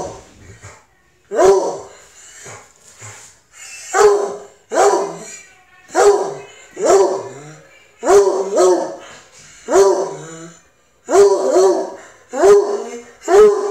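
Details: A Treeing Walker Coonhound, overexcited at the vet and wanting to sniff other dogs, gives loud, ringing barks with a mournful bawling edge, repeated roughly every second.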